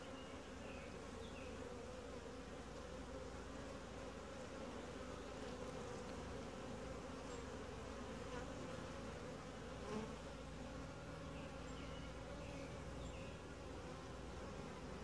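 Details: Calm, gentle honey bee colony heard during a routine hive inspection: a continuous low, even hum fills the whole recording, with occasional soft knocks and rustles from the beekeeper working the frames.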